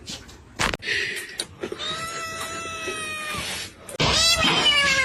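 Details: Domestic cat giving a long, drawn-out meow of steady pitch lasting over a second, followed by a brighter, higher meow at the end; a few knocks and handling thumps come before it.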